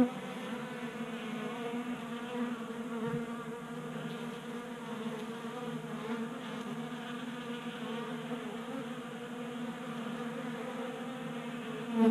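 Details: Honey bees burning winter stores during a January warm spell in Colorado, buzzing constantly while feeding from a 3D printed tray feeder indoors; an even, layered hum with a louder burst at the very end.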